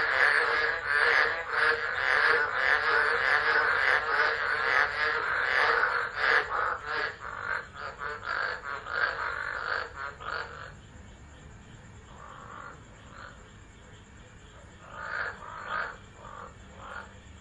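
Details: Storm-time frogs at Driver, Northern Territory, Australia, December 2013, recorded by a phone: a loud rattling croak chorus for ten seconds, then it drops away to scattered quieter bursts of calls amid falling rain.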